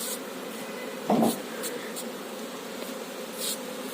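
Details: Honey bees at a managed hive on a beekeeping farm, where the queen bee is being shown: a low, steady droning hum with a brief louder rustle just after one second and faint higher clicks.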